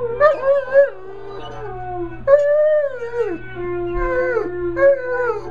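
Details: Dog learning to howl: three long, wavering, harmonic-rich howls, each starting high, holding, then sliding downward in drawn-out falling glides, with brief gaps between; a steady low hum runs underneath.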